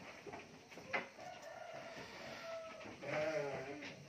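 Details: A large 4-year-old male Garut sheep on a farm gives a short, wavering, nasal bleat that rises and falls slightly, over steady broadband farmyard noise with a sharp knock near the start.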